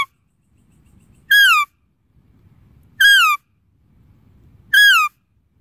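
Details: Deer calling: three loud, high, whistle-like calls, each under half a second, rich in overtones and sliding downward in pitch, repeated about every 1.7 seconds, with a faint low rumble between them.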